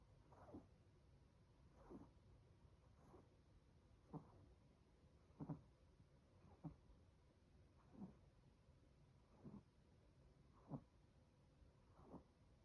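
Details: Loud snoring from Chocolate, a sleeping 18-week-old Chihuahua puppy: short low raspy snorts recurring about every second or so at an uneven pace, each a quick breathy burst, against a quiet indoor hum.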